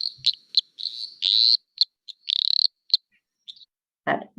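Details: Eastern dwarf tree frog (Litoria phalax), common in Hawkesbury, often mistaken for an insect: high, buzzy chirps and trills mixed with short clicks, one longer pulsed trill near the middle; a low thump ends the recording.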